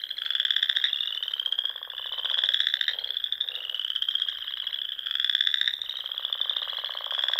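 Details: Spring frog chorus from a small pond in Nebraska's Sandhills, a continuous high trilling drone with rhythmic swells of louder pulsed trills about every two to three seconds.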